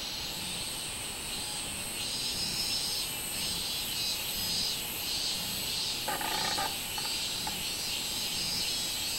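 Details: Song of the robust cicada (minminzemi), 24 July 2016: a loud, high, buzzing drone that throbs in repeated swells about twice a second, with a short rattling burst in the second half.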